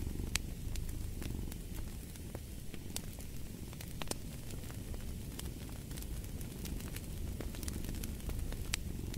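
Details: Cat purr as a continuous deep, grainy drone under a crackling fire, with frequent bright snaps of burning logs over the low rumble.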